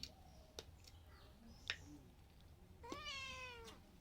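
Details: Pet cat begging for ghee toast indoors: a single drawn-out meow that rises then slowly falls, preceded by faint clicks and soft rustling, with a person coaxing in Bengali before and after.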